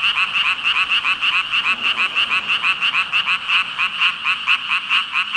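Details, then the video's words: Dense chorus of frogs, described as thousands calling together, a steady wall of rapid pulsed croaks with a bright band near the top, pulses tumbling over each other about twice a second, no other sounds standing out. "개구리 수천마리 개굴개굴 울음소리 | 물멍 | 🐸 5,000 frogs ribbit-ribbit"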